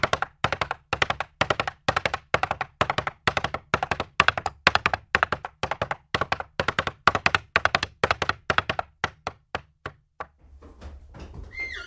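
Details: Horse galloping, each stride a quick cluster of three or four sharp hoof thuds about twice a second, steady for ten seconds, then the hooves fade and a brief tonal rising-falling cry sounds over low rumbling at the end.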